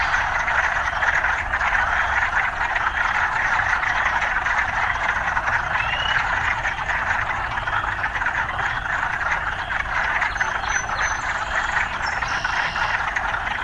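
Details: Frogs amid urban life: an even, dense wall of croaking with only a rare faint chirp, a thin high whistle appearing near the end.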